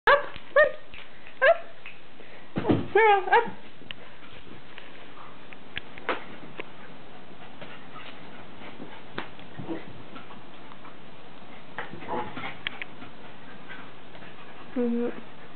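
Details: A stray female miniature Schnauzer, found wandering in Florida, gives short, sharp play barks and high yips in quick bursts while playing with another dog indoors on March 29, 2009.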